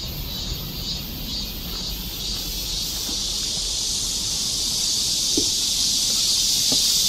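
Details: Cicadas singing in a summer forest park along a mountain trail in Korea during a rainy-season heatwave in July 2024: a dense, steady high buzzing hiss that swells slightly louder over time, with a faint pulsing layer above it.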